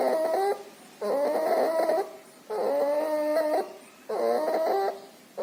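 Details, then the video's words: Pneumonia and distemper sick puppy with nasal discharge; four loud wheezing breaths in five seconds, each a sustained nasal harmonic whine, evenly spaced with short silences. "Puppy has pneumonia and distemper. Loud breathing noise and nasal discharge."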